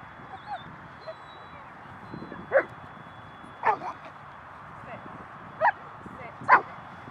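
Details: Karona, a small young female dog, plays rough with bigger dogs at a dog park in January 2020, giving a few sharp, short barks and yips at irregular intervals, with faint human voices in the background.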